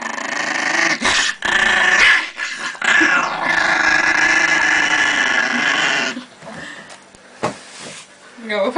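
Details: Indoor Russian Chihuahua protecting its pancakes: a long, continuous buzzing growl sustained for several seconds, with a woman talking in Russian before and during it, and brief clatter at the end.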